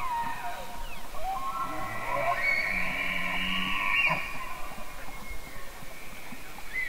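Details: Elk bugle with a drawn-out high whistle running alongside a low harmonic groan, rising and fading over roughly three seconds, followed by fainter whistles amid steady low background noise.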